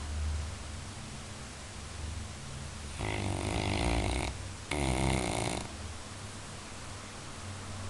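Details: Sleeping Labrador Retriever letting out a rough, rattling snore split into two close bursts, a longer one then a shorter one, preceded and followed by soft steady breathing in a quiet room.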